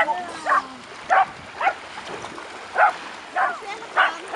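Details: Dogs on a beach at a litter reunion on 3 August 2011, six ten-month-old puppies with their mother; short, sharp barks come singly about every half second to second, with faint voices and a thin whistle-like tone behind.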